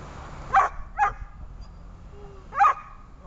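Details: Dog at a training session on 26 August 2020 gives three short, sharp barks, two in quick succession and a third after a pause of about a second and a half, over a low background hum.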